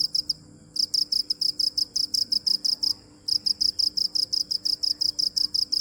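A cricket chirps in quick, evenly spaced high pulses, with a couple of brief pauses.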